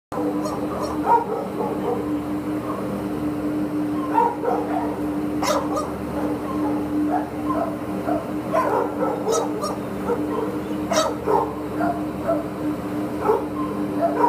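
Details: Border Collie up for adoption, barking in a kennel setting: short, sharp, broadband barks scattered irregularly through the recording over a steady low mechanical hum, with softer whines and rustling between barks.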